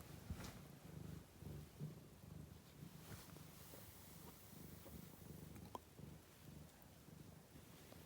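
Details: Quiet, steady low purring from a cat, a soft rumbling hum that pulses with its breathing, plus faint background hiss and a brief click near the end.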